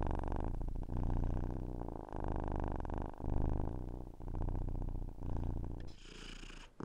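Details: Cat purring with a low, buzzing rumble that rises and falls across several breaths, ending in a brief rustling noise near the close.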